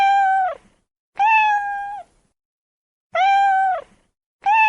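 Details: Domestic cat meowing in a mix of meows: clear, tonal, slightly falling cries about a second long, repeated with pauses, four calls in quick succession in a quiet room.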